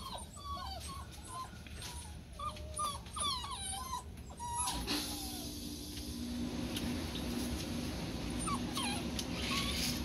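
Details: Several Rhodesian Ridgeback puppies, exposed to household noises in the whelping box, yip in quick high whimpers, some curling upward. A loud rushing hiss then masks them, with occasional yelps still breaking through.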